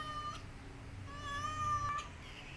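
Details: Defending her kittens from a white cat, a mother cat makes a short call and then a sustained, level, tonal yowl about a second long in a quiet indoor setting.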